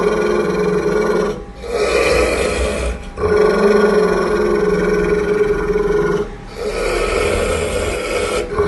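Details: Loud, sustained, rasping growls from an angry Pit bull, four long rumbling bouts, the longest about three seconds, each separated by a short quiet gap as the dog draws breath.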